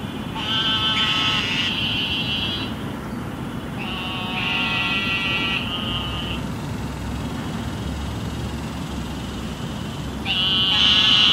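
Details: Eastern narrow-mouthed toads calling in Houston after flooding rain: loud, nasal, sheep-like buzzing bleats, each lasting one to two seconds, repeated several times over a steady rumble of city traffic.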